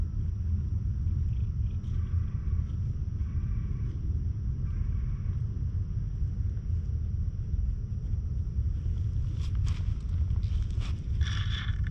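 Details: Heavy low wind rumble fills the whole recording outdoors, with a few brief scraping and rustling noises near the end and no animal voice.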